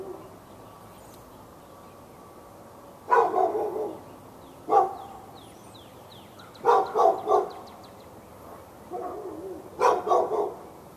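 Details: Pet dog in Raleigh, North Carolina, on February 15, 2012, barking non-stop from morning into afternoon at the dog next door behind a fence; bursts of two to three rapid barks every couple of seconds, with faint bird chirps behind.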